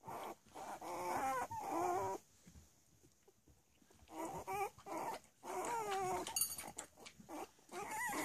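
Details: Playing Cavalier King Charles Spaniel puppies aged three weeks, uttering clusters of wavering, squeaky whines and yelps, pausing briefly midway, with soft shuffling underneath.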